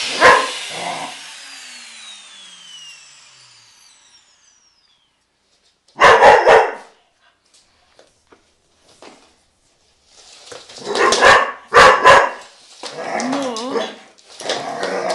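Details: Irish Terrier named Eron, a pet dog playing with the vacuum cleaner indoors during tidying: loud bursts of barking and growly yaps in clustered volleys near the start, middle and end, with the vacuum's whine fading early on.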